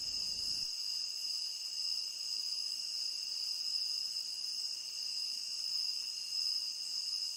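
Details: Crickets in a tropical rain forest, a continuous high-pitched chorus of steady shrill trilling bands with no break, dense and unchanging throughout, no other sounds standing out.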